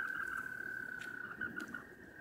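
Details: A male American toad (possibly a Fowler's toad), sitting in water during mating season and looking for a mate, gives a steady, buzzy trill on one mid-high pitch, a warning to stay away and not eat him.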